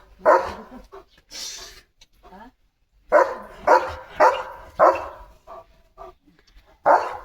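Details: German Shepherd Leo barking on a morning run through the courtyard. Harsh barks repeat roughly every half second in a steady run after a brief pause, with a man's voice telling him to hush between them.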